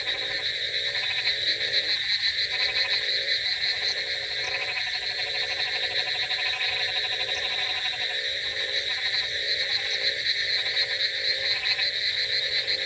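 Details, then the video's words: Chorus of frogs on a rainy night, many voices giving throaty pulsed croaks in irregular bursts, layered on a constant shrill hum throughout. "Frogs Sound Effects With Rainy Night Ambience |Frogs Crocking Sounds"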